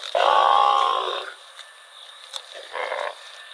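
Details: Cow wandering through rural rice fields gives one drawn-out, harmonic moo lasting about a second, then a shorter, softer call near the end; the low bass is absent and the background stays quiet.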